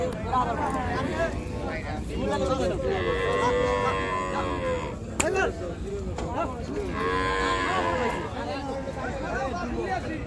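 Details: Cattle being unloaded from the river side at a busy village cattle market, giving two long, loud moos with rich harmonics, each lasting about two and a half seconds, plus shorter lowing earlier, over steady crowd and outdoor noise.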